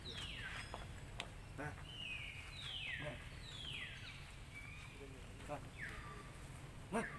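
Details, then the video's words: Baby monkey Lucie cries loudly, begging for milk after its mother refuses to nurse; high, thin squeals slide steeply downward, repeated roughly every second, over a low rural hum with faint clicks. "OhGod ! Ve-ryP-ity Lucie Cr-y Lou-dly Se-isures An-gry Mom cos Mom R-ej-ected Milk I Lo-vely Monkey"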